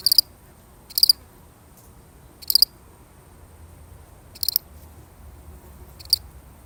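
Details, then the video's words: One lonely cricket in a real recording, giving high clipped chirps of quick pulses at uneven intervals of one to two seconds, over a quiet low background hum. "The sound of one lonely cricket"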